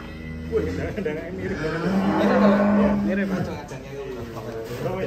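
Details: Huge fattened cow during loading onto a truck in Indonesia gives a sustained, level, droning low moo lasting over a second, amid background music and crowd noise.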